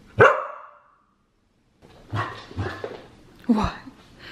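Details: Aria, a female Samoyed kept as a pet, gives one sharp bark, then after a pause a run of three rougher barks with low grunting edges, indoors, with a person urging her toward a bath.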